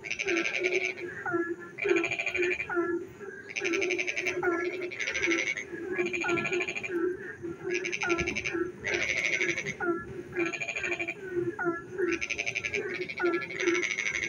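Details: Dense frog chorus on a rainy night in a village: regularly spaced, grating pulsed croaks about every second, answered by short upslurred calls, with an unbroken low drone of many more frogs.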